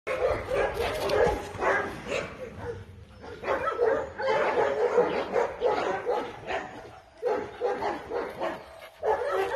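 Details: Dobermann barking in repeated bursts, several quick barks at a time with short pauses between volleys, the bursts of fairly even loudness throughout.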